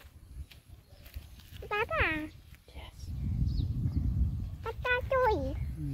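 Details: Dog in a scene of bullying among dogs: two bursts of high, harmonic, falling whines or yelps, first a double cry near two seconds, then a quicker series near five seconds, over low rumbling noise and faint voices.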